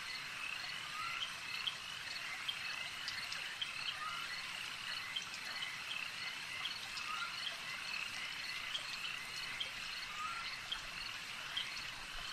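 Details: Lakeside frog chorus, continuous and even, with many callers blending into a high-pitched trilling drone. Scattered brighter chirps and faint lower warbles surface every few seconds.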